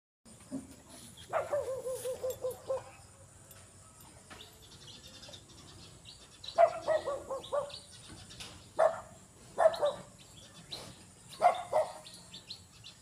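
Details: Angry native pig giving harsh, harmonic squealing cries: one long wavering call early on, then short clustered bursts roughly every second or two in the second half, with quiet gaps between.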